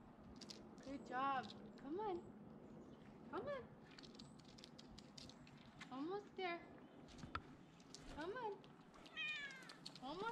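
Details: Tabby cat Olive, a female, keeps meowing as she climbs down in a rescue, about six plaintive, arching meows every second or two, overlapped by a woman's encouraging voice urging her to keep going.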